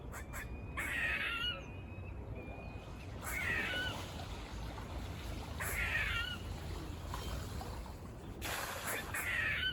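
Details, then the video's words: Near a farm, squirrels bark in a buzzing, grating voice, four harsh calls spaced roughly two and a half seconds apart, each sliding downward, with faint clicks and low outdoor rumble. "Adventurous squirrel sounds//Squirrel barking calls// Squirrel noises// Squirrel buzzing sounds"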